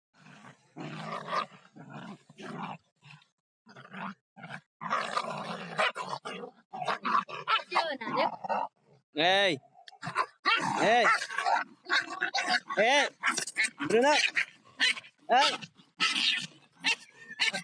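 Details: Stray dog named Bruno in a street fight: harsh, noisy snarls and growl-like bursts in the first half, then a run of sharp rising-and-falling yelps and barks in close succession, with human voices mixed throughout.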